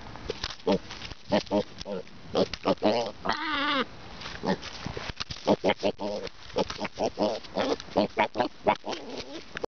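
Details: Boar up close and noisy, nosing at the camera; rapid run of snorting grunts and oinks with a longer wavering squeal in the middle, loud and varied throughout.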